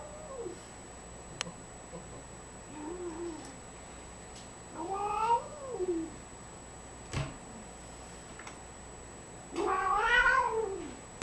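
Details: Indoor domestic cats: a kitten plays with an adult cat's tail while the adult cat shows it is not happy. A series of drawn-out, arching, whining meows, with the last one the longest and loudest. A few faint clicks and knocks are also heard.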